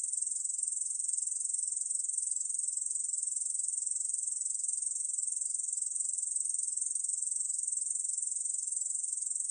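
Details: Korean bush cricket song, recorded in 2020: a shrill, even, continuous buzz without pauses or changes in pitch, alone and clear.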